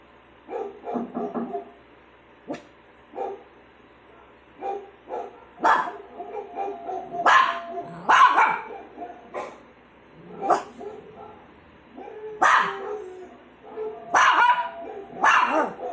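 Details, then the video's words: Pet dog making annoying sounds: irregular sharp barks and yips mixed with short whiny vocal noises, louder bursts toward the middle and end, quiet room background. "Annoying sounds"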